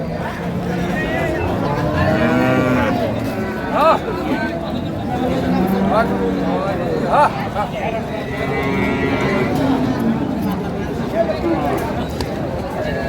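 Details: Cows and calves at the Ambari livestock market, Dinajpur, on 25 April 2025 while buyers bargain. Occasional low, drawn-out moos come through dense crowd chatter and men talking over prices.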